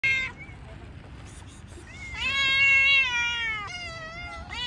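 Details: Cats met outdoors; a long, loud, wavering meow slides down in pitch over nearly two seconds, framed by brief shorter meows at the start and end, with faint background noise.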